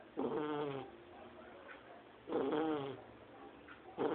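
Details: Two-month-old Shar Pei puppy named Lorena snoring while asleep, snoring like an adult person: harmonic, nasal, wavering snores about half a second to a second long, separated by quieter breathing pauses.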